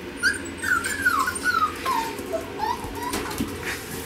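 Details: A litter of male Pomsky puppies aged five weeks, from parents Winter and Dash, whimpering steadily: a chain of short, slurred, downward-sliding squeaks, roughly two per second, in a quiet room.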